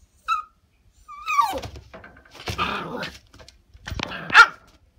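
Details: Female Shiba Inu puppy, eight days in her new home, desperate to get out of her cage indoors: short high whines and yelps in bursts, with rattling and thumps against the cage.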